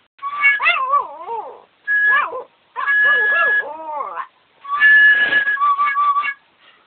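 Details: A "singing" Yorkshire Terrier howls in wavering, yodelling bursts along with steady musical tones.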